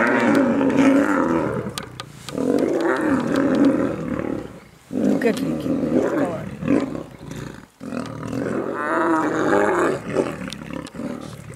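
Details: Male lions fighting over territory in the wild: sustained ragged snarling and roaring, rough and rasping, in long bursts separated by short gaps, with some human voices mixed in.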